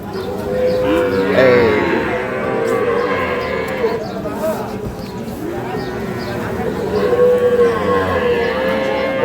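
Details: Sahiwal bull calves for sale at Ambari livestock market, Parbatipur, Dinajpur, Bangladesh, on a Monday market day; long harmonic moos rise and fall, one near the start and another toward the end, over steady crowd chatter.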